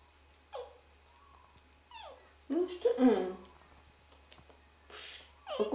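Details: Red fox vocalizing privately: several short whining, harmonic cries with a brief rising-then-falling sweep, one longer rougher cry in the middle, spaced a second or more apart, with quiet Russian speech nearby.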